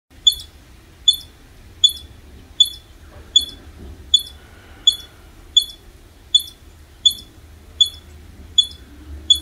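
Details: A female squirrel, a mother, gives sharp, high chirps a little faster than one per second in the morning. She is chirping furiously at the person feeding her for taking too long to put out food, and stops once it is out.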